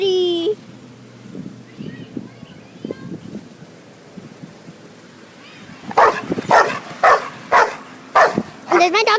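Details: Lemmy, a pet dog, lets out a rapid run of six or so loud, clipped barks near the end, following a stretch of human talking and quiet rustling.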